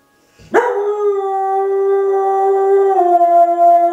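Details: Pet dog howling along with the municipal evening sunset chime, a restrained version: one long sustained harmonic howl rising sharply then holding steady, dipping slightly lower near the end.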